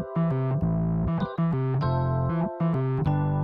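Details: Electric piano or synthesizer chords play in a bouncy pattern, with no animal sound.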